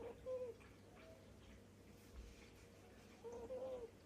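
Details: Happy snoring from a sleeping cat indoors: two soft, whistle-like breath tones, each under half a second and about three seconds apart, over a quiet, low room hum.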